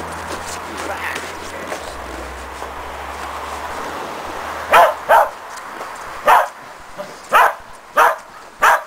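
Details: Shetland Sheepdog Preston during agility training on a box with a jump grid, a running contacts foundation exercise. Muffled talk and room noise come first, then six sharp, loud barks in quick succession over the last four seconds.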